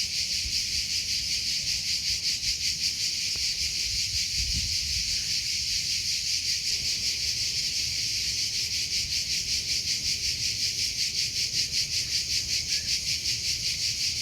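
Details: Natural recording of a cricket, its shrill pulsed chirping running without pause at a quick, even rhythm, accompanied by a faint low-pitched background and an occasional soft knock.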